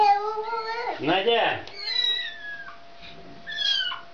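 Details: Mother cat calling for her kitten, wanting it back indoors: harmonic meows that slide downward, with a brief human voice overlapping in the middle and two shorter, fainter meows near the end.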